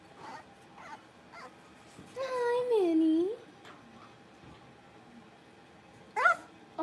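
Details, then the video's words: Blenheim Cavalier King Charles Spaniel puppies, one of a litter of five born at New Year's, playing in an indoor puppy pen; a single drawn-out, wavering whine dips and rises over about a second, with faint short yelps before and after. "Cavalier Puppies Livestream: Playing, Barking"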